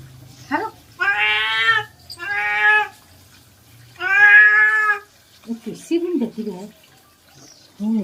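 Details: Cat during a bath gives three long, loud, harmonic meows in quick succession, followed by a person talking to it.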